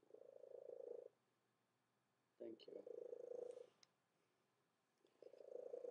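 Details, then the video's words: Female domestic cat that has always purred unusually loudly, purring indoors: throaty, buzzing bursts about a second long, broken by pauses of roughly a second, with faint clicks between. "Loud Purring Cat"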